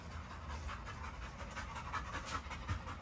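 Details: Great Dane, a big female dog near a fence, panting in quick breathy bursts, roughly three per second, over a low background rumble.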